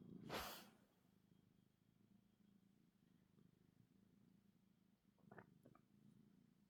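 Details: A happy tuxedo cat purrs softly in a low, steady rumble, opening with a brief loud rustle and a couple of small clicks later on.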